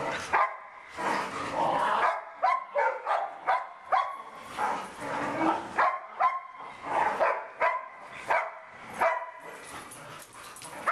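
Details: Dog barking while playing: rapid, rough, harmonic barks and yelps in uneven bursts roughly every half second for eleven seconds, loud and close, with little pause between them.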